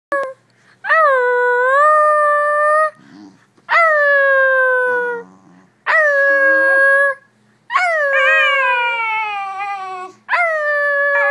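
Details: A Basenji yodelling: four long, loud, richly harmonic howl-like notes of about one to two seconds each, wavering and sliding slightly in pitch, separated by short pauses and soft whimpering sounds.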